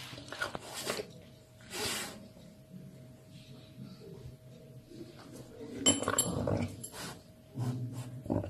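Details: A caracal that loves meat gives low, rough growls and breathy hissing bursts in irregular spurts.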